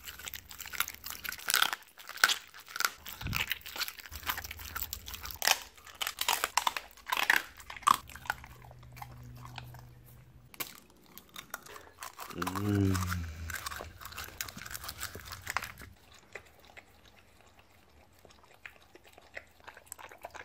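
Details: A Siberian Husky eats raw meat (beef cheek and chicken) with bones, given as a reward. Dense, sharp crunching and grinding fills the first half. A short, low, moaning harmonic sound follows, then quieter, sparser chewing.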